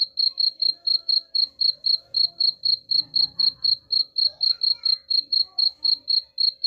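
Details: Unbroken cricket chirping said to chase off rats: sharp, high pulses at about four per second, with soft murmuring voices and low rumbles in the background and a constant faint hum.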